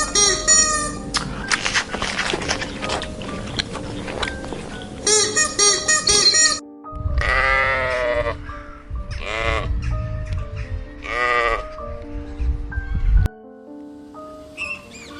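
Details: White sheep giving several loud, quavering bleats with a wavering, vibrato-like tone, each lasting about a second, repeated in quick succession during the second half, over steady background music with other animal noises early on.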